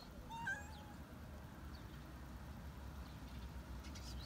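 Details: A stray cat on a roof begging for food: one short, bending meow at the start, then only a faint low hum and distant high chirps.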